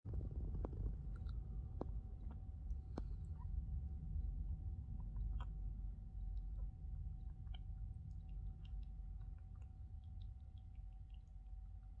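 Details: Low rumbling room noise with scattered faint clicks and a steady electrical hum, no animal voice.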